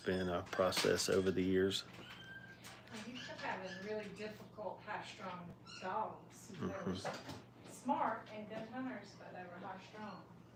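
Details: Five-week-old Brittany puppies in a kennel during crate training cry with high, wavering whines, rapid and overlapping, loudest in a strong burst at the start, then softer whimpers continuing over a steady low indoor hum.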